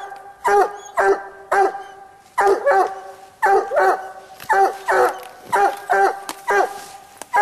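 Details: Treeing Walker Coonhound named Bandit baying at a treed raccoon during a coon hunt by a slough on a cold night; loud harmonic barks in quick pairs and bursts, roughly one per second, with a man's voice briefly nearby.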